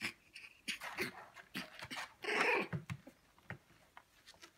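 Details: Nineteen-day-old Shiba Inu puppies, males at play: bursts of breathy squeals and whimpers, one longer harsh squeal near the middle, with rustling and panting between.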